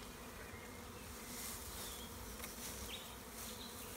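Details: Large swarm of honey bees clustered in a tree in the Tuscan Maremma countryside in spring while a beekeeper catches them: a dense, steady low droning hum with faint bird chirps in the background.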